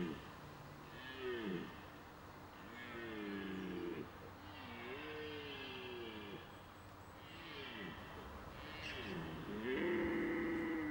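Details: A red deer stag gives a series of deep, moaning roars during the autumn rut starting at the end of September, bellowing as mature stags challenge rivals and defend hinds.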